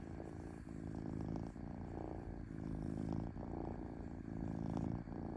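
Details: A pet cat purrs softly, a deep vibrating rumble broken by short pauses between breaths, the rhythm even and calm throughout.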